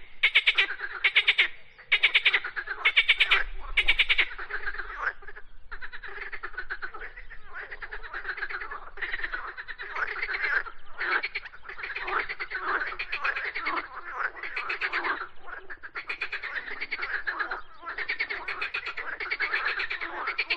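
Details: Frogs singing: about five seconds of loud, separate rasping croak bursts repeated roughly twice a second, then a dense, continuous chorus of overlapping pulsed, grating croaks that rise and fall in loudness.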